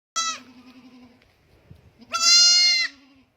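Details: Goat bleating: a brief high bleat, a low drawn-out tone, then a loud, strained, sustained bleat lasting nearly a second.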